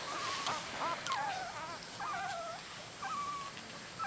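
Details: Three-week-old miniature dachshund puppies, eyes newly open, give thin high whistled squeaks with short wavering rising and falling notes in quick irregular bursts, fairly faint over steady background hiss.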